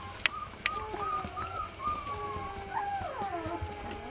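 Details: Rough Collie puppies three weeks old, whimpering in long drawn tonal whines that glide and waver, several voices overlapping, with a few sharp clicks and low background rumble.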